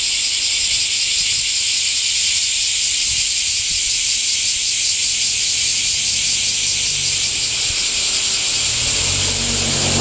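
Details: Summer-heat cicada chorus, a continuous shrill, hissing buzz with a faintly throbbing texture that stays level throughout. A low rumble like a passing vehicle rises underneath near the end.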